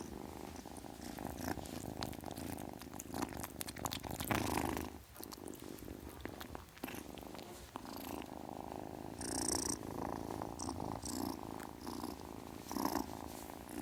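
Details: Young domestic kitten purring continuously, a dense fast-throbbing rumble that briefly dips mid-way, with occasional crisp rustling bursts as it moves.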